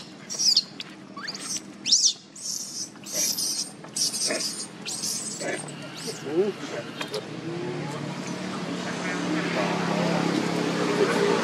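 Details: Hungry baby monkey Leo begging its mother for milk with a run of sharp, high-pitched screams for about seven seconds, then fading into steady rushing background noise.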